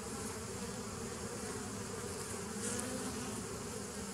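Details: Short stretch of bee drone from 27 September 2018, a thick, constant humming mass with pulsing low tones and no pauses.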